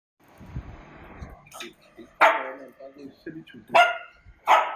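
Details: Lhasa Apso dogs as Coco, a young puppy adopted at two months, meets her mother for the first time since birth; three sharp, excited barks at uneven intervals follow a stretch of soft human talking.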